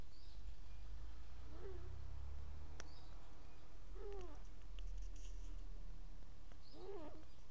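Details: Pet cat named Farna snoring while asleep: soft nasal snorts repeated roughly every two and a half seconds over a steady low hum.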